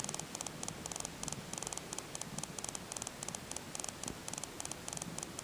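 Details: Tonkinese kitten, just two days old and one of Tango's litter, purrs with a fine ticking texture: steady trains of tiny dry clicks repeat throughout, over a faint low rumble and soft background hiss.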